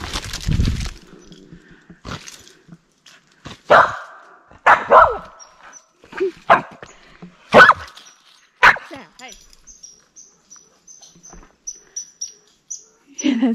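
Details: A squirrel beside a trail through Maine's 100 Mile Wilderness in early fall, near a lake, barks sharply and harshly about once a second, seemingly unhappy, while a hiker talks nearby.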